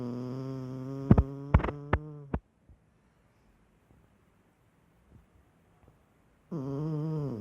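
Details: Pet dog snoring: a steady, low, buzzy droning tone broken by a few sharp clicks, then near silence for several seconds before the low drone returns.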